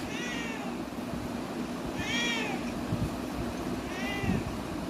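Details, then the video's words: Pet cat meowing while talking with its owner: three clear, rising-then-falling meows, spaced about two seconds apart, over a steady low background hum. "my cute cat meow🐾 talking with me"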